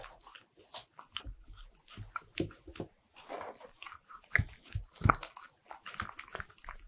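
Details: Indoor ASMR recording of a pet Bichon Frise munching butter-ring cookies: irregular crisp crunches and soft smacking chews, with the loudest bites late in the clip.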